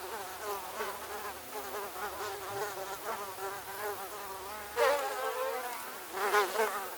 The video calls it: Mosquito Cacophony 01 Ambience Sound Effect